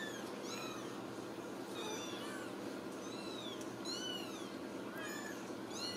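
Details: Ragdoll kittens in a central Kansas home cattery call with repeated thin high-pitched meows, several voices overlapping in quick succession, each call curving down at the end, with faint background hiss.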